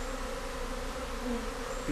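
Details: Swarming honey bees in Britain, full of honey and not aggressive, seeking a new home; short stretch of steady layered buzzing hum with a low droning base.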